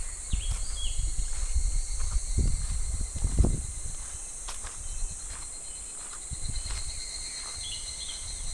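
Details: Unbroken high-pitched cicada buzzing along a clear, shallow July stream, steady throughout, with scattered low thuds like footsteps and a handful of faint, short rising bird notes early and late.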